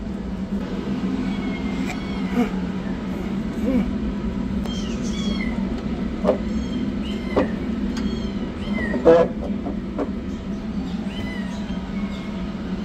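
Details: High, drawn-out kitten meows, some sliding downward, recur every second or two from a rescued yellow kitten running for food and a black kitten beginning treatment, with a continuous low droning hum beneath.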